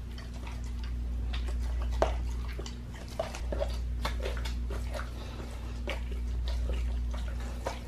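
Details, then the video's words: Raw-fed pit bull gnawing a raw lamb leg, with uneven bursts of crunching, licking and wet tearing clicks against a constant low droning hum. "ASMR MUKBANG PITBULL EATING RAW LEG OF LAMB"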